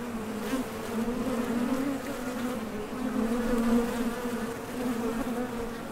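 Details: A steady drone of honey bees at the entrance of a Top Bar Hive, workers flying out for nectar and landing again. The hum stays even in pitch and slowly swells louder and then fades slightly.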